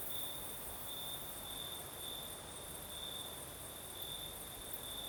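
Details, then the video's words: Night in southern Crimea, crickets singing under a night breeze: steady, high, ringing trill pulsing slowly in strength, accompanied by a fainter ultra-high hiss and a continuous soft wind rush. "Сверчки поют"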